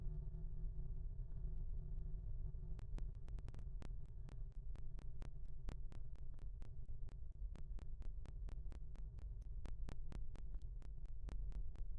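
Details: Deep throbbing synthesized hum with sharp, regularly repeated clicks, electronic and without any animal voice.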